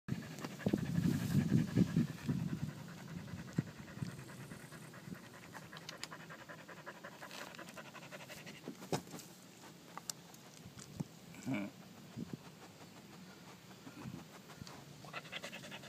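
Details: Pungsan dog panting: soft, rapid, breathy huffs, louder at the start, then fading into quiet, rough background noise.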